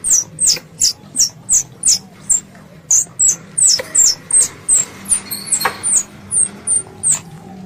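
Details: Squirrel, described as a pest, calling its mother: sharp, very high chips repeated about three times a second in a steady series, with a faint low hum underneath.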